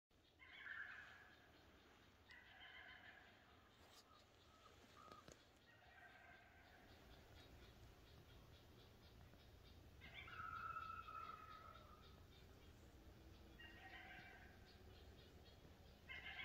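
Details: A coyote gives short bursts of high, wavering yips separated by pauses, yipping while trying to call in a whitetail deer.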